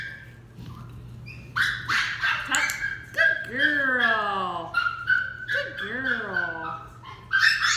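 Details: Westie puppy Dixie in training, a young female, gives a quick run of sharp, high yips and squeaky whines between a trainer's spoken praise and commands, with a final burst of yips at the end.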